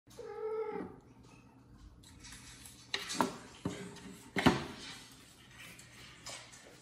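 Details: A kitten meow played from a phone video gives one short, high, tonal meow, followed by scattered clattering knocks, while a mother cat washes her kitten and goes to check on the sound.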